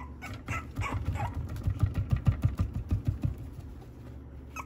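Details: French bulldog at an Okayama breeder's home in Japan, making rapid low grunting, snuffling pulses about three per second that swell in the middle and fade, with a few thin higher yips at the start and a constant background hum.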